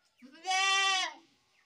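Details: Goat giving a single loud bleat lasting about half a second, harmonic and slightly wavering, rising in then falling away at the end, with faint low sounds before it.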